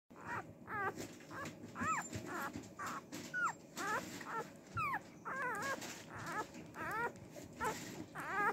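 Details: Female Cardigan Welsh Corgi puppy, born March 18, gives a rapid series of thin, high whines, each rising then dipping, about a dozen in eight seconds with brief pauses, over low room hum.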